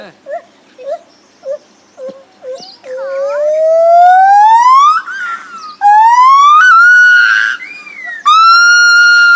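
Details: Lar gibbon making a few short hoots, then long loud rising wails that climb steadily in pitch and break off, repeated in a series of drawn-out siren-like swoops.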